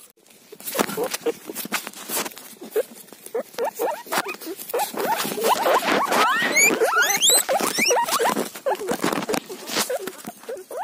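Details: Guinea pig eating a cauliflower leaf: loud, rapid squeaks and sharply rising whistled squeals, some sweeping high, densely packed over broadband rustling and crunching clicks.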